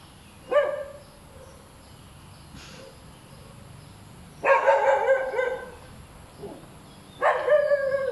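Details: Hyperactive dog repeatedly barking: one sharp bark, a pause, then a long ragged run of loud barks and another burst at the close, with a low hum behind.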